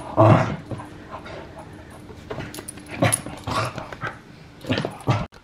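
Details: Bunsen the Puggle romping around a living room with his toys, giving short broadband bursts of grunting, whimpering play noises at irregular intervals with quiet stretches between.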